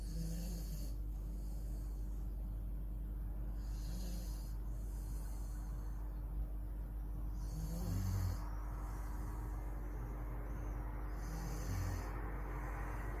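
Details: Sleeping Dobermann snoring: soft breathy rasps recurring every two to four seconds, each inhale a broad hissing rush over a low steady hum, with quiet pauses between breaths.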